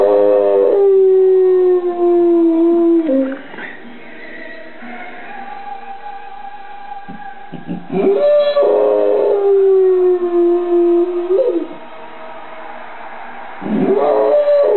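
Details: Field Spaniel dog howling along with the Welsh National Anthem sung before an international rugby match in Cardiff; long wavering tonal howls fall in pitch, in three bouts, with the singing performer and music faint beneath.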